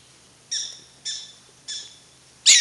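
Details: Three evenly spaced, piercing chirps from prairie dogs at Wildpark Frankfurt/Oder, each a short harmonic bark about half a second apart, followed by a loud, noisy scratchy burst at the close.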